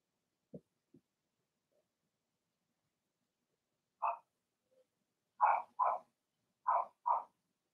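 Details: Blenheim Cavalier King Charles Spaniel puppies from Remy's first litter of six, in a home puppy pen, giving short yappy barks: two soft low sounds, then a burst of five sharp barks in close pairs over the last three seconds.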